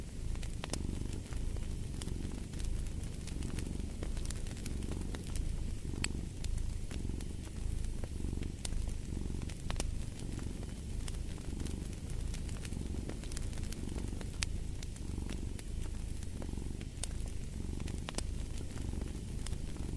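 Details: Long stretch of a cat purring, a low buzzing rumble swelling and fading about every second and a half, accompanied throughout by frequent crackling pops of a fireplace.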